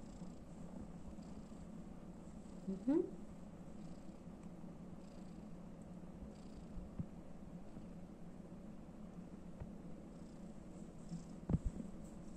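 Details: Tortoiseshell calico kitten with an elderly woman indoors, giving a long, even, low purr that runs steadily without break, with a brief higher squeak early on and faint room noise.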